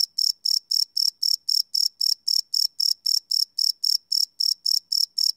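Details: Crickets calling at night, recorded live with a Sony PCM D100 field recorder; sharp, high, ringing chirps follow one another quickly and evenly, around four each second, in otherwise quiet surroundings.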